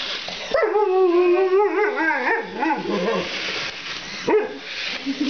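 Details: Malamute vocalising at a remote-control Spider-Man toy during play: a sustained whining howl bends into wobbling up-and-down tones, then fades, with a sharp short yelp near the end.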